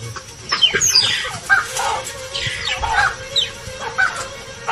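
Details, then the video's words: Mongooses give sharp, high chirping alarm calls in quick, irregular bursts in broad daylight, warning of danger such as a crowned eagle. Nearby baboons respond swiftly. A faint, steady hum of background music plays. "Mongooses are quick to warn of danger, and the baboons respond swiftly to their chirping alarm calls."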